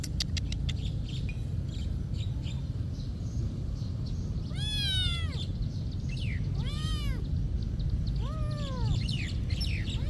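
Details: Three arching meows from a cat at a monastery, each under a second long and spaced roughly two seconds apart, set over a constant deep background hum with faint chirps.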